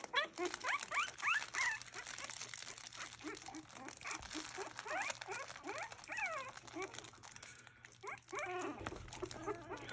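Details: Havanese puppies, a litter called the Ducklings, exploring a crinkle toy for the first time with tail wagging; high squeaky whimpers and yelps come in quick bursts, with rustling and people talking in the background.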